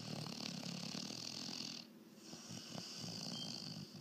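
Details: Weimaraner dog snoring: steady, rasping, breathy noise spread across a wide range, with a short quiet gap near the middle before the next drawn-out breath resumes at similar strength.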